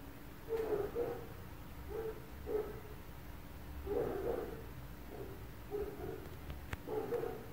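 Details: Distant barking from neighbouring dogs at 4 a.m. in an apartment setting: uneven volleys of single and doubled mid-pitched barks, about eight in all, over a constant low background hum with a faint click near the end.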